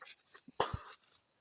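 A pig gives a brief, hoarse grunt with a short squeaky edge, then a deep low snort.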